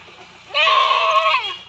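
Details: Local goat during artificial insemination: one loud, wavering bleat about a second long, nasal and tonal, starting abruptly and fading at the end over a quiet background.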